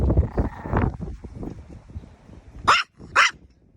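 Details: Small pet Chihuahua giving two sharp, high, bright yaps near the end, after low rumbling handling noise and a brief speech-like murmur at the start.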